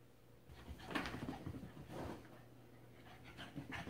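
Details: Cavalier King Charles Spaniel, ruby coloured, excited and running wild indoors after a bath; quick irregular panting breaths with a brief whimpering note, low steady hum in the room behind.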